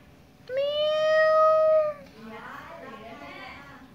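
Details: Domestic cat calling with one long, drawn-out meow of about a second and a half, level in pitch and rich in overtones, then softer voiced sounds that blend with quiet human speech.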